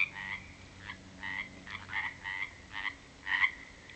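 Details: Frogs calling at a natural pond at 7 pm after dark, after weeks of February rain in 2009; short pulsed croaks around a steady mid-pitched band, given in separated bursts roughly every half second, with overlapping callers.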